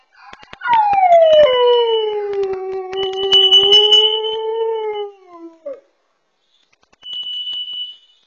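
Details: Pet dog at home, caught on a pet camera, alerting to carbon monoxide: one long wavering howl that slides down and then levels off, while a high, steady electronic alarm tone sounds over it and returns after a short pause.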